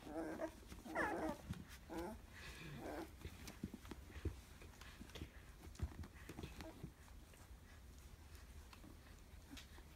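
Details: Fourteen-day-old Labrador Retriever x German Shepherd puppies from Bella's first litter by sire Roman, recorded 11/22/2015 indoors; a few thin, quavering whines in the opening seconds, then quiet shuffling and faint clicks.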